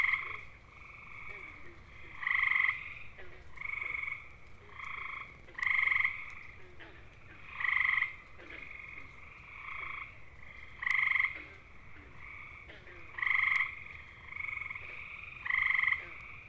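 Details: Gray tree frogs (Hyla versicolor) of eastern North America, males giving mating calls: loud musical trills under a second long, repeated every two to three seconds, with fainter overlapping trills from other frogs filling the gaps.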